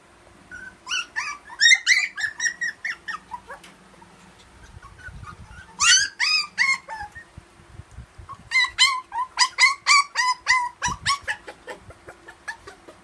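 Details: Purebred poodle giving three bursts of rapid, high, harmonic whimpers and yips, each note short and slightly bent in pitch, fired several per second with brief quiet gaps between bursts.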